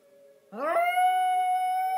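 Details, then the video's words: Hershey, a little Yorkshire Terrier, howls on hearing the tornado siren warning sounded every first of the month. A faint siren tone comes first, then a rising howl that settles into a long, steady, clear note. "Yorkie Hershey singing the Tornado song"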